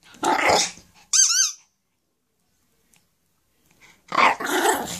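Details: Chula, a Shih Tzu playing with her ball indoors, gives two short rough growls, the second longer and rasping, with a high squeaky-toy squeal between them and a brief quiet gap.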